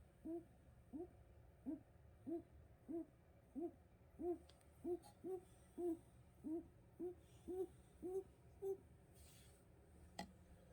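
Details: Sleeping rabbits making soft, low tonal hoot-like squeaks, one with each breath, repeated steadily about every half second, over quiet room hiss with a faint click near the end.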